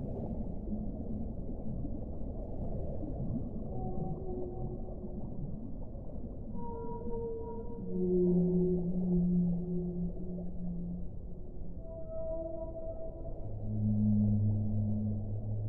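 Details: Whale song in a slow sequence of tonal units: short higher notes, then loud low moans swelling twice, each held a second or two, over a persistent hissing wash.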